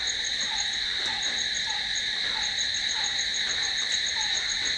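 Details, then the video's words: Crickets calling at night: a constant, bright, high ringing trill sustained without pause, with soft lower clipped notes repeating at a regular pace beneath it. "Cricket sound🦗🦗🦗to sleep... Try it.... Night's in hands of cricket"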